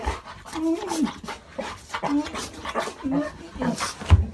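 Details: A Golden Retriever at home gives high, wavering whines and yelps in wildly excited greeting as family members return after several days away on a trip, with people talking nearby.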